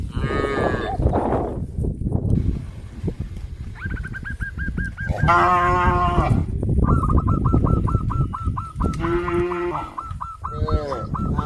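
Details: Herd of farm cows in a village walking to green grass fields: two brief moos several seconds apart among constant low rumbling. Rapid series of chirping bird notes repeat between them.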